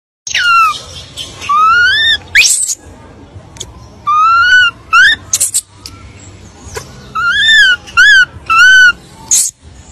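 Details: An abandoned baby monkey cries while calling for its mother: a run of loud, tonal wails, each arching or sliding upward, with short sharp bursts between them. About ten cries come in quick succession, with brief silences between.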